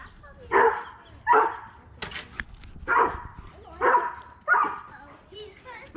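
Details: Barking erupts while Harvey, a half Siberian Husky, races Kane, a high-content wolf dog. Six loud, rough barks fall roughly every second, and a brief clatter sounds midway.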